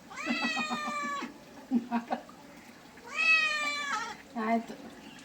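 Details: Domestic cat being bathed, giving two long drawn-out meows with rich harmonics, each about a second long, followed by shorter softer mews; a low steady hum runs underneath.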